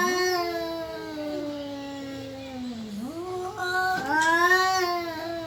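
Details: Domestic cat, possibly seeking a mate or about to fight, giving a long drawn-out wail that slowly falls in pitch, dips, then rises again into a higher, strained howl near the end; room echo audible.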